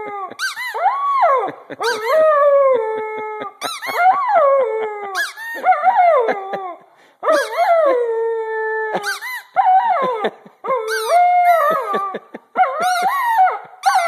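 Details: Young Vizsla puppy howls in long, tonal, falling wails about every two seconds, some quavering up and down, with brief sharp yelps and clicks marking the start of each cry.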